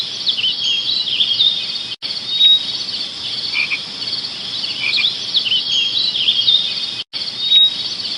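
A dense, high chorus of insects chirping and trilling without pause.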